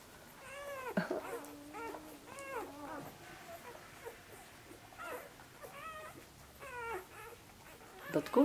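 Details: Korthals Griffon puppies on their sixth day in the nest, busy and searching for a teat, giving high arching squeaky whimpers in quick runs, several overlapping, with a steadier whine in between, indoors.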